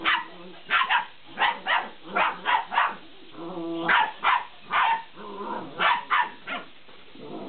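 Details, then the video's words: Belgian Malinois pups, 50 days old, barking while playing with a laughing cat toy; bright, snappy yips come in pairs and triplets, mixed with brief steady tonal notes between bursts. "Malinois Puppies playing with the Laughing Cat"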